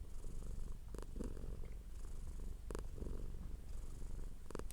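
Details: Close, deep rumbling purr from a domestic cat, steady and low, with a few short rustling crackles.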